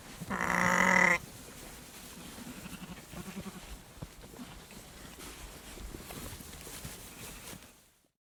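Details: A sheep in a herd gives one loud, wavering bleat, followed by fainter bleats from the rest of the herd.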